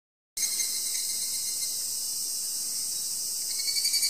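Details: Insects calling in the forest on Mount Takamine near Obaku, Uji: a dense, steady, high-pitched shrill buzz that holds without pause after a brief silent start, with a faint thin whine beneath it.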